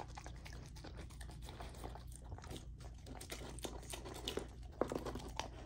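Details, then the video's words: Lilo, a female Golden Retriever puppy, chews through raw chicken and sockeye salmon in a small room; steady soft gnawing and wet mastication with scattered crisp crunches and one sharper bite late on. "Golden Retriever Puppy Raw Dinner : Chicken Drumstick & Thigh , Sockeye Salmon ASMR EATING"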